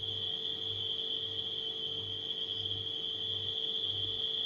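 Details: A high, level cricket trill fills the night air, never breaking, with a humming refrigerator and a gentle low pulse underneath.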